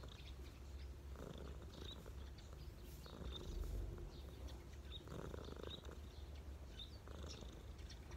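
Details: Low, steady purring from a street cat resting on someone's knees, pulsing gently with each breath, while small bird chirps come and go in the distance.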